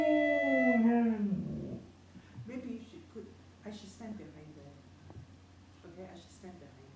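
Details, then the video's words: Dog howling along to a gourd instrument indoors: one long, smooth howl sliding downward for about a second and a half, then quieter scattered voices, knocks and rustling. "reilly roams and howls"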